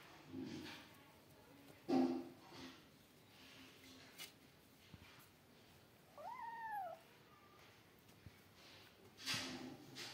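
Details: Brief short meow among kittens playing, two outside kittens with a cat and three kittens: one quick arched call in the middle, surrounded by thumps, knocks and rustling of play.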